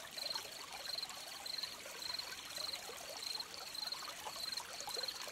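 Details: High-pitched cricket chirps, short buzzy pulses about every two-thirds of a second, ring out above a babbling stream whose steady watery rush fills the background.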